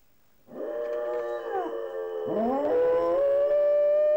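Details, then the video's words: Two pet dogs howling together indoors while left alone as their owners went shopping, captured on a Hi8 camera; long wavering tonal howls with rich harmonics, one voice rising and sliding, a second joining, ending in a steady sustained note. "Cute Howling Dog's"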